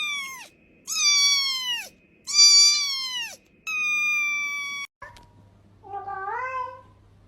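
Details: Domestic cats meowing, played to attract cats: a series of clear, high, harmonic-rich meows, some falling in pitch, each about a second long with short gaps, ending with a softer rising-then-falling mew.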